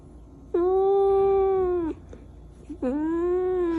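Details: Pet cat, described as angry, letting out two long, loud, even meows, each about one and a half seconds, with a short pause between them in a quiet room.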